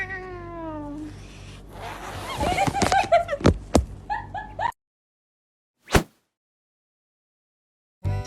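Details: Pet cat uttering a falling, tonal meow lasting about a second, followed by clattering and scuffling bursts, then near silence broken by a couple of sharp knocks; light music underneath.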